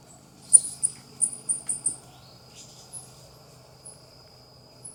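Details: High, sharp chirping from a ring-tailed coati (Nasua nasua): a run of five or six brief squeaky notes in under two seconds, then sparse faint chirps, with a constant high hum and low rumble beneath.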